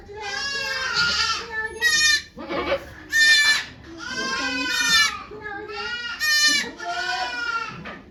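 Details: Goat calls from Yoshigake farm as Okayu delivers two kids on 3 May 2023 before a crowd of volunteers: loud, bright, quavering bleats repeated several times in about eight seconds, with voices between them.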